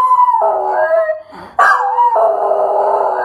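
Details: Singing pet Schnauzer, recorded 15 February 2015: a sustained wavering howl dips lower, breaks off briefly, then resumes with a higher, loud, quavering wail.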